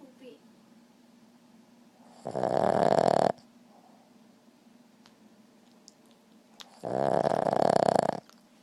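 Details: A Boston terrier, sound asleep, lets out two long, rasping snores about four and a half seconds apart, each lasting roughly a second, with quiet breathing between them.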